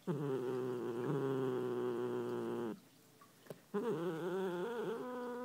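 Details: Muffin, a cat being brushed against her wishes, gives a loud, harsh, steady growl lasting nearly three seconds, a short pause, then another rough, wavering growl.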